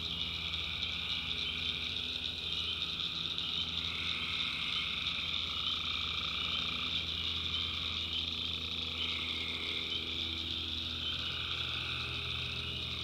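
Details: Nighttime swamp chorus of tree frogs in rural North Carolina: many overlapping shrill trills blending into a continuous wall of sound, with higher bands fading in and out and a constant low drone beneath.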